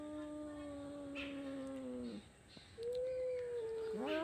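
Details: Two domestic cats quarrelling and fighting: long, steady, moaning yowls with stacked harmonics, one lasting two seconds and dropping at its end, a pause, then a second yowl rising into a bent upward wail.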